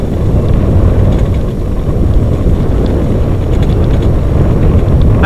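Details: Loud, steady low rumble of wind buffeting the microphone and engine noise throughout, with faint voices and no animal calls.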